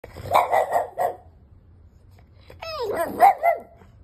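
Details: Five-month-old French Bulldog puppy named Bear, wanting in the bed, gives a quick run of four short barks, a pause, then a rising whiny yelp and two more barks.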